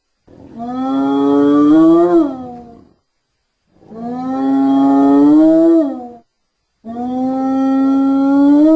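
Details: Hyena repeating a drawn-out whooping call three times, each note rising slowly over two to three seconds, roughly one every three seconds, clean with no other sounds.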